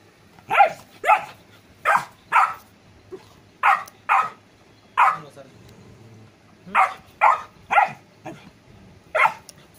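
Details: A Golden Retriever puppy barks in sharp, bright bursts, often in quick pairs or triplets.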